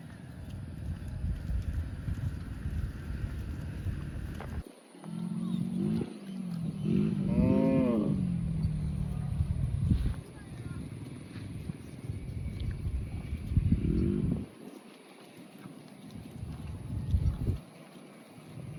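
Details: Cow mooing: a single drawn-out, harmonic moo rising and falling over about two seconds midway, with low rumbling background noise and brief knocks before and after.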